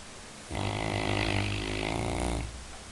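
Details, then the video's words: A Labrador Retriever gives one long snore of about two seconds, a rough, vibrating rattle with a low droning base and hissy upper edge, starting and stopping abruptly. "Labrador roncando"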